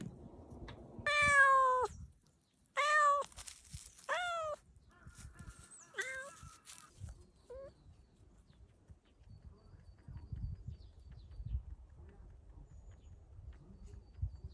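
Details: Young street cat walking outdoors on a warm spring day, giving three loud, strongly harmonic meows in quick succession, then two short, fainter mews, followed by rustling and soft outdoor noise.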